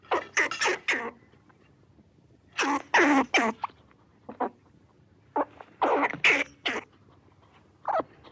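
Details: Squirrel chattering in rapid runs of cough-like, raspy chucks, several bursts packed close together and then pausing briefly before the next run, in a quiet setting.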